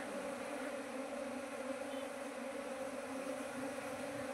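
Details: Steady drone of honey bees near bait traps set out for catching colonies, part of a beekeeping start that reached nineteen hives within two months; even, layered humming throughout.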